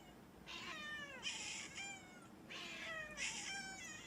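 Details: Mami, a pet house cat with an amusing voice, produces two similar long meows about two seconds apart, each bright and harmonic with a falling, squeaky tail.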